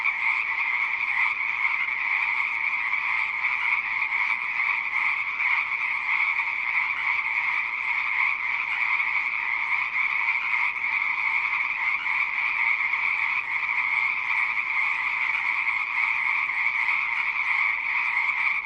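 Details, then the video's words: A thick wall of frog croaks runs without a break, steady and pulsing, its bright upper tone constant from start to end with no birds, voices or other noises clearly heard. "Rah ama harre | frog | ضفدع"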